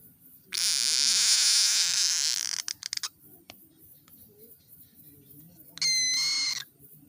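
A frog gives a long, harsh, hissing scream, then a shorter, high, tonal squeal.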